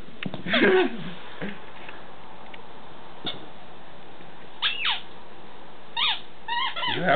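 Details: New puppy named Butters on its first day home: a few high, thin whimpers and squeaky cries, some bending up and down in pitch, scattered between soft thumps and a person speaking quietly.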